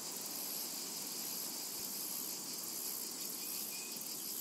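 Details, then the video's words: Cicadas in a summer meadow: a dense, continuous high shimmering buzz that holds steady throughout, with a faint pulsing texture and a soft low hiss of background noise. "Summertime and Cicada Ambience"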